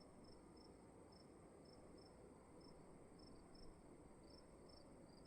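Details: Crickets calling inside a room at night, chirps more spaced and in short bursts with brief pauses, set against a low, steady background rumble.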